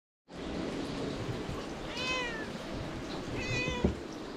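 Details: White cat climbing onto a lap at a temple while a person shelters from rain, its head tickled, recorded on a GoPro HERO8: two clear, drawn-out meows about a second and a half apart over a steady hiss.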